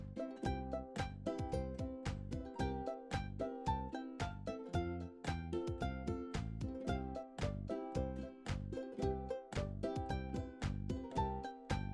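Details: Light plucked children's music, ukulele-like notes in a bouncy repeated rhythm, with no animal voice heard.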